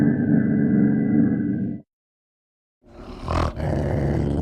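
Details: Ocelot producing a steady, low, raspy roar with a faint higher tonal band for nearly two seconds. After a silent pause, a noisier rough burst with a sharp sweeping sound follows.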